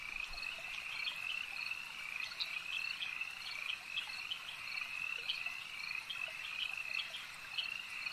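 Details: Many frogs at a lake croak together in a shrill, continuous trilling chorus; short pulsed notes repeat rapidly over the constant high hum throughout.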